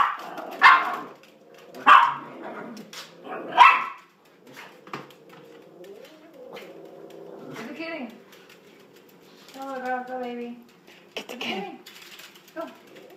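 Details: Sausage the dachshund, egged on to chase the cat, lets out three sharp barks about a second and a half apart, then a run of drawn-out, quavering whines and whimpers, with a person talking over parts.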